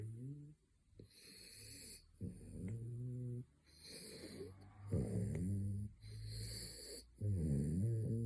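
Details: French Bulldog snoring through his third midday nap: drawn-out, droning snores with a nasal wheeze, about one every two seconds in a fairly steady rhythm.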